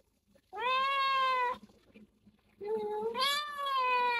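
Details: Stray kitten rescued and taken to the vet for the first time, diagnosed with cat flu, calls two long, steady meows indoors, the second lifting higher partway through.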